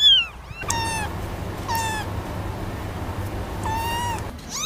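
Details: Cat giving three drawn-out meows, each opening with a sharp high onset and holding a long steady tone, spaced about a second apart over a constant low hum.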